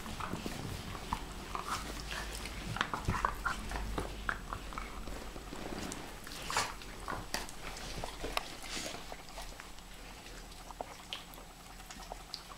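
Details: Pharaoh Hound and Ridgeback dogs play together, trading low, rough growls and snarls over a steady rumbling texture, punctuated by brief sharper snaps and scuffling bursts throughout.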